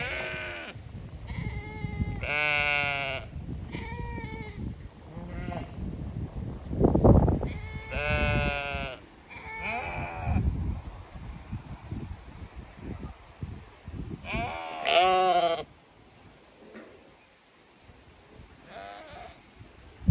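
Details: Zwartbles sheep flock on a regenerative farm in County Kilkenny, Ireland, calling while expecting a move to fresh pasture; several overlapping wavering bleats from different animals, some loud and harmonic, with low rumbling field noise between calls.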